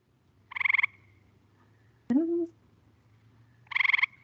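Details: Gray Treefrog, a small treefrog able to change colour within minutes, its call likened to a telephone: two short, fast-pulsed musical trills about three seconds apart, with a brief descending swept sound between them.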